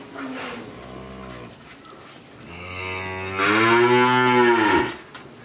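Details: In Pabna, Bangladesh, a 13-month-old Friesian heifer calf gives a soft, low first moo, then a louder, longer moo that swells and ends with a falling tail.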